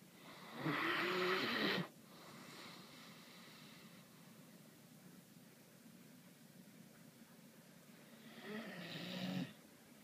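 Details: A Great Dane sleeping through the day snores with loud, rasping, rattling breaths separated by a long quiet pause; Great Dane.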